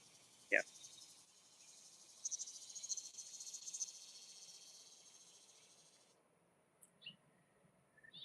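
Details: Cicadas in a sunny garden keep up a steady, high, hissing buzz that stops abruptly, with a person talking nearby, on a hot, humid day of about 83°F.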